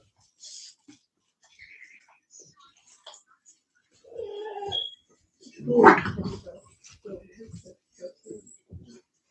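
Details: Cane Corso, or Italian Mastiff, from a breeder's pack near Nashville, Tennessee: a short nasal whine, then one loud, harsh bark, followed by soft murmuring human voices and small scattered knocks.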